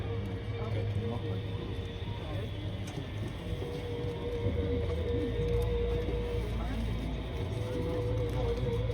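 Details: A humpback whale in Auke Bay, Juneau, Alaska, in August, heard through a hydrophone played over a tour boat's speakers, sings long, steady, moaning tones over a constant low rumble of boat engine.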